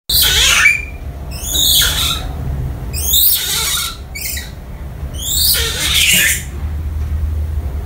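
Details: Lovely, a young female grey-shanked douc langur orphaned by a hunter and kept as a pet at home for about 1.5 years, calls for her absent 'mother' while the family is out: five shrill, high squealing bursts, each about a second, spaced at irregular gaps.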